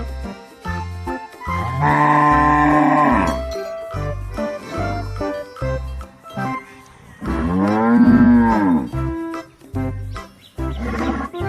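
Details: A farm cow lows twice, each moo long and drawn out, the second rising and falling in an arch. Pulsing background music runs throughout.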